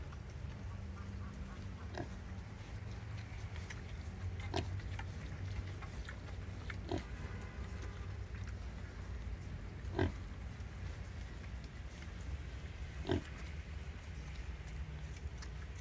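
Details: A wild boar sow nursing her piglets gives low, short grunts at uneven intervals over a steady low background hum.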